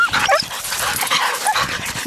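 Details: Siberian husky yearlings running with a six-year-old dog on a spring run in 2011; short whiny yips and whimpers over a noisy, rushing background, with a person calling out commands.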